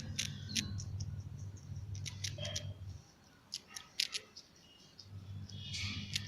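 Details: A squirrel gnawing its food: crisp, dry clicks and crunches in short bursts, pausing near the middle before resuming, over a steady low hum.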